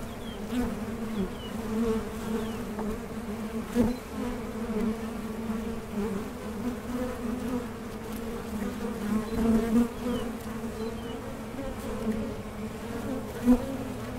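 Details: Honey bees at a Mason jar honey super in small-scale beekeeping. A steady, low droning hum with a second band above it holds throughout, with brief louder swells as bees pass close.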